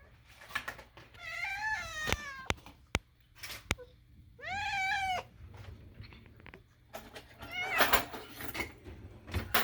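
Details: Moo, a domestic cat adopted from a rescue, gives two long wavering meows with rich stacked harmonics, then a burst of clattering and rustling indoors near the end.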